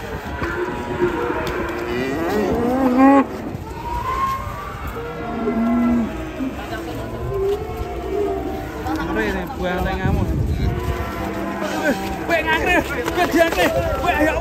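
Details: A raging cow with its small calf lets out several low, drawn-out moos, each a steady harmonic tone, scattered across the recording between bursts of people talking and shouting and background music.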